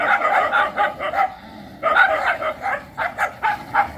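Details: Domestic dogs giving rough, mid-pitched barks and yips in quick clusters, a short lull near the middle before another burst of rapid barking.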